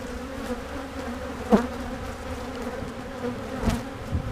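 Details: Western honey bees (Apis mellifera) hum in a steady, low drone with a few sharp knocks of handling while a beekeeper inspects recently split hives.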